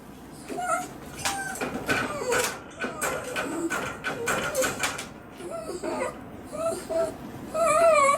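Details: A Miniature Dachshund, shut in its cage as punishment and no longer able to stand it, yaps in sharp, rapid bursts mixed with high whines, demanding to be let out.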